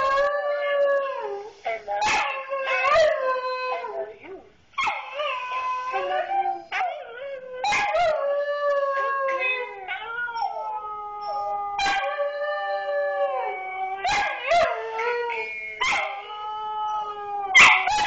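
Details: A Siberian Husky, hearing "I love you", howls in long, wavering, vocal phrases that rise and fall, broken by short yips.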